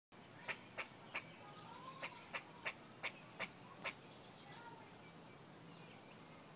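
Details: An upset pet squirrel sits on the squirrel box built for him and refuses to go inside. He gives about ten sharp, broadband chucks, spaced roughly a third of a second apart over four seconds, before falling quiet against faint background hiss.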